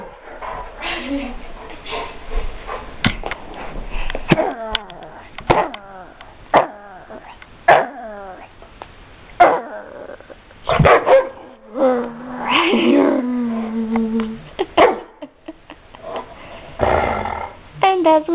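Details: Daisy, a pet dog, barks repeatedly with rising, squeaky yips and whining tones between sharp barks at uneven intervals, while a person talks and calls to her in the background.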